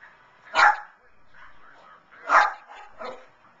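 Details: Lhasa Apso cheering on the 2011 Puppy Bowl from in front of the television; two sharp, loud barks about two seconds apart, followed by a softer yip, with low murmuring in between.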